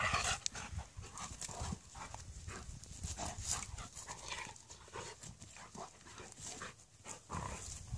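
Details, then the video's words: Two dogs, a Malamute and a Husky, play fighting in a friendly way: continuous low growling and huffing broken by quick broadband bursts of scuffling and panting, intensity rising and falling throughout. "Malamute vs Husky ( friendly fighting )"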